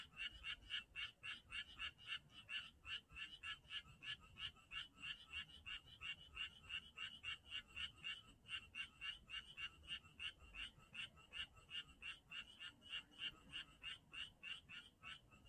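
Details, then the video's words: Frog chorus in Janghyeon-dong, a dense unbroken train of quick rasping croaks repeated about three to four times a second, slightly uneven in rhythm, with a soft low background murmur. "장현동 개구리 소리"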